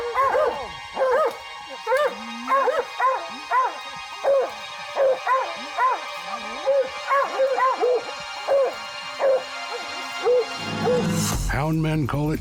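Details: Hunting hounds baying below a tree where they likely chased a cat: a steady run of short, ringing bays about once a second, layered voices, faint music behind, ending in a loud burst of other noise.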